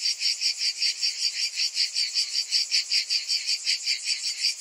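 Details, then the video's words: Summer cicadas produce a shrill, sizzling chorus beating in even pulses, close to three per second, loud and unbroken. "Cicadas in Summer"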